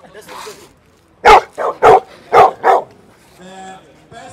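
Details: Bullmastiffs squaring up in a near-fight over attention give a burst of five heavy barks in quick succession, then a steady humming tone and a final short yelp.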